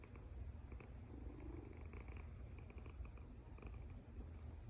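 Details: Cat snoring while asleep indoors: low, grainy rumbling breaths repeated in a steady rhythm, with faint thin whistling edges on some breaths.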